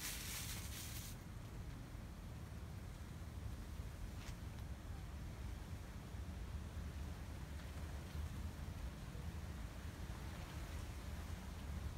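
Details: Steady low wind rumble and distant traffic noise, with a brief hiss at the start and no animal voices.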